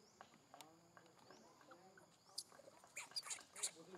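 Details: A newborn baby monkey, seemingly hurt, cries for its mother with its mouth wide open, giving sharp, high squeals in quick bursts.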